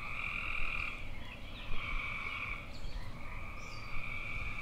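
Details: Trilling tree frog calls, rolling and somewhat musical, follow one another every second or so, overlapping slightly. A rumbling low background noise continues throughout.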